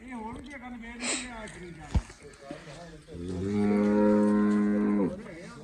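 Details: A Jersey Cholistani cross cow offered for sale, with a big udder, gives a long, steady moo from about 3.2 to 5.1 seconds, deep and rich in stacked harmonics, after softer lowing and a sharp knock near 2 seconds.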